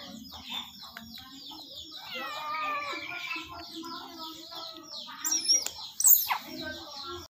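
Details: High, rapid twittering chirps from an otter being fed, with a wavering run of squeals in the middle and two sharp, loud shrieks toward the end.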